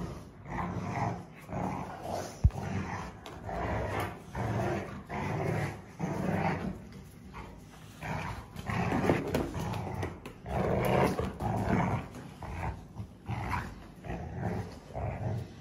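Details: Pair of Rottweiler sisters growling while playing tug-of-war; pulsing low growls rising and falling roughly every second, mixed with snarls and scuffling.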